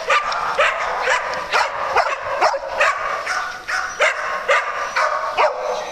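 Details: Playtime on a farm: dogs bark and yip in quick succession, about two barks a second, sharp mid-pitched bursts with an irregular rhythm.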